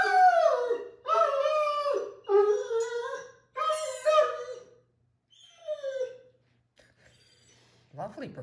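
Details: Mikey, a happy harlequin Great Dane, performs his once-a-day howling song: four drawn-out, sliding howls about a second each, then softer falling notes, near-silence and a final quick sweeping sound.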